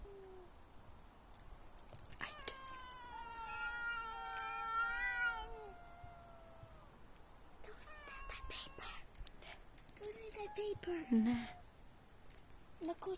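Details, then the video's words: A domestic cat making weird screaming noises: long wavering yowls that rise, sustain and bend, followed by shorter throaty meows and a low squeaky cry near the end, with some rustling between calls. "screaming cat (cat making weird noises)"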